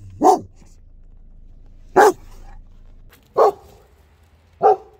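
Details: Aggressive barking by a German Shepherd: four single, loud, gruff barks spaced roughly one and a half seconds apart, each short and full-bodied, with near silence between them.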